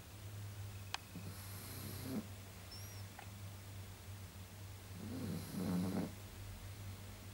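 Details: Sleeping pug snoring indoors: two slow, rough, breathy snores about four seconds apart over a steady low electrical hum, otherwise quiet.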